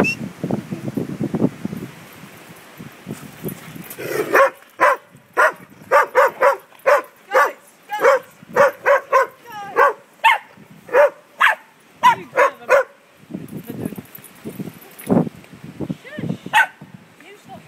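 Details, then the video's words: Dog barking at greyhounds at Bridge of Dee, putting them in their place; a fast run of sharp, loud barks repeated roughly every half second for about eight seconds, with quieter rustling and low growly sounds before and after. "putting greyhounds in their place"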